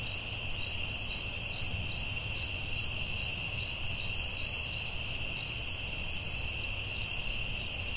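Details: Crickets at night in a forest: a steady high ringing drone under a pulsed chirp repeated about twice a second, with two short hissy bursts higher up and a faint low rumble beneath.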